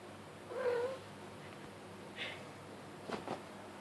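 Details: Kitten hiding under a sheet while chasing fingers makes a rolling trilled chirp, then a brief higher chirp, followed by a couple of soft taps from blanket play.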